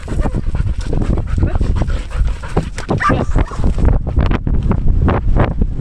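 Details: Danny, a Belgian Malinois in Cebu, Philippines, pants hard while playing fetch: a continuous run of quick, rough, breathy huffs, irregular in spacing and loud throughout, with a faint whine-like tone near the end.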